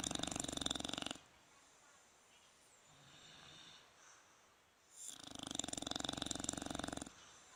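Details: Snoring from the bulldogs Fukumaru and Rikyu on 26 November 2016. Two long buzzing, vibrating snores with quick regular pulses, one at the start and one near the end, separated by about four seconds of soft breathing-level quiet.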